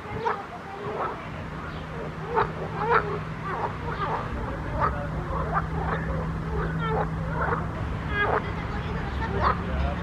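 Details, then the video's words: Frogs chorusing in a pond: many overlapping short croaks and chirps, some with rising or falling bends, repeated densely throughout, over a steady low hum. "grenouilles chantes croasses leurs mélodies des grenouilles dans un etand d'eau"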